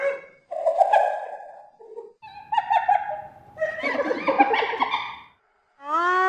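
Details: Hyena calling: a run of nasal, harmonic cries and choppy, stuttering giggle-like bursts with brief gaps between, ending in a loud upward-sliding whoop note.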